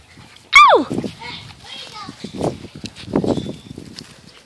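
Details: Six-week-old Catahoula Bulldog puppies: one sharp, high yelp sliding steeply downward, followed by softer murmurs and a man speaking Portuguese in the background.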